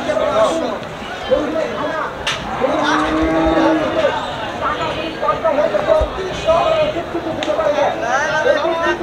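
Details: Holstein Friesian bulls for farming at the Oronkola livestock market: a drawn-out, harmonic moo around the middle, with shorter lowing nearby, over steady crowd chatter and people talking throughout.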